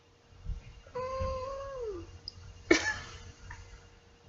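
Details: Seven-year-old female pet cat held indoors near a webcam as her owner tells her to say bye: a level meow of about a second that slides downward at the end, followed by a sharp cough-like burst and quiet room noise.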